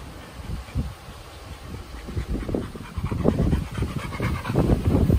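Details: Chocolate Labrador named Bear panting during a Sunday morning walk: rapid, rough huffing breaths, roughly four per second, growing louder toward the end, with outdoor background noise.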